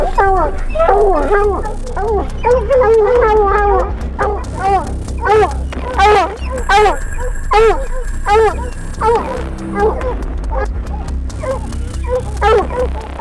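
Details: A pack of hounds on a fresh mountain lion track in Colorado barks and bawls steadily, each voice a ringing, arched bark, as the hunting hounds run the cat to a tree.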